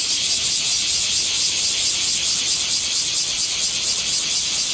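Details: Japanese cicadas in a swarm make a continuous shrill, rasping buzz that swells and fades in rapid waves roughly twice a second, filling the whole recording.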